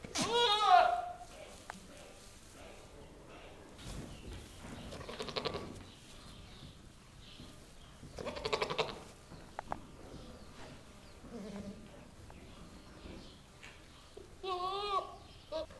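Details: Nigerian Dwarf goat bucks, just brought home, screaming in a barn with females in heat nearby; a sharp quavering bleat opens, rustling and shuffling follow, and another trembling, wavering bleat arrives near the end.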